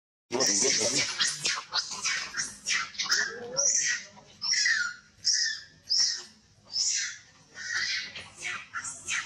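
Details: Hurt old monkey crying loudest: a near-continuous string of high, strained squeals and screeches, roughly one every half second, with some lower rough notes at the start.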